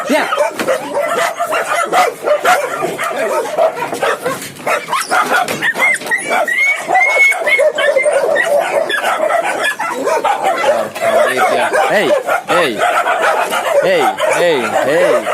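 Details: Indonesian village dogs at a large breeding farm in Indonesia, a type used for hunting and guarding homes; many dogs yip and whine together in dense overlapping bursts, with wavering high yelps near the end and a man's voice counting in the background.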